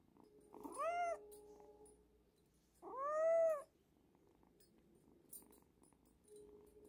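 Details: Abandoned kitten rescued near a house, crying from hunger: two bright arched meows about two seconds apart over a faint, low background hum.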